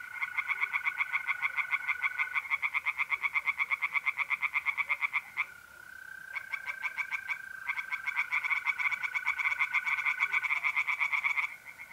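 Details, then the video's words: Several tree frogs sing by night in a pond, North-East Italy, mid-April: long loud runs of rapid nasal croaks, briefly pausing midway, layered over the even trilling of mole crickets. "relaxing singing tree frogs in pond and trilling mole crickets by night"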